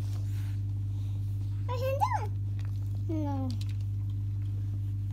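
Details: Brindle female boxer puppy, three weeks and four days old, gives two short whiny squeals: the first rising then falling, the second sliding downward, over a steady low indoor hum.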